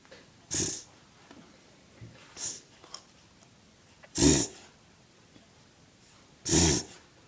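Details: Male dog ending a reverse sneeze its owner says sounds like a rhino: a few short, hoarse snorting breaths spread several seconds apart, with softer huffs between and a quiet background.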